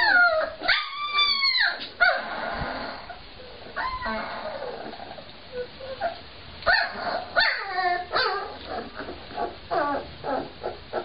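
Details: Fortenero Cane Corso Mastiff puppies letting out drawn-out howling whines and short yips, a long bending cry opening the clip followed by clusters of sharp rising whimpers and brief barks.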